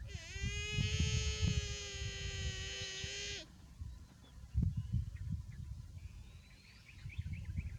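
A young buffalo calls with one long, steady, nasal bawl, rich and bleat-like, held for about three seconds. Rustling, low rumbling noise and a few faint bird chirps follow.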